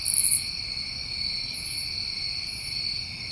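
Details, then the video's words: Summertime crickets in New England at night: a loud burst of very high chirping opens, then the steady multi-band trilling chorus continues, with two fainter high chirp bursts later. "Over 1 Hour Of Tinnitus Masking With Crickets"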